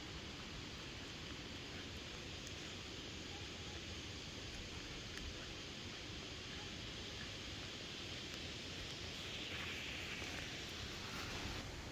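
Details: A constant hiss of wind and distant rural background noise fills a late-summer forest, with no animal voice heard.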